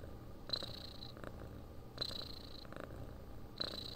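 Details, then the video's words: Domestic cat purring: a steady low rumbling purr pulsing with its breathing, with a brighter hissing burst on each breath, about every one and a half seconds. "Храп кошки. Муркотание для сна."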